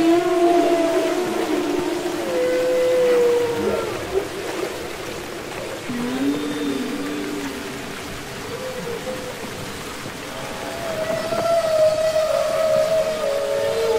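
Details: Singing humpback whale recorded underwater for Capitol Records ST-620: drawn-out tonal moans, one sliding sharply upward near the middle, separated by quieter stretches, then a high sustained wail returning at the end over steady sea hiss.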